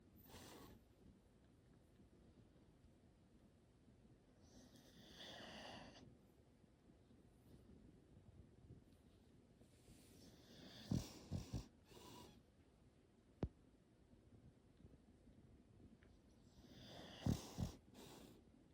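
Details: English Bulldog asleep while being petted, giving a few low, rough snorting breaths about ten seconds in and again near the end, with soft rustling of stroking hands between them in a quiet room.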